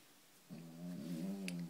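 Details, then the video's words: Sleeping female pug lies on her back, worn out from a walk, as her paws are dried. After a brief quiet moment comes one drawn-out, low, buzzing snore that holds a steady throaty tone. "Snoring pug"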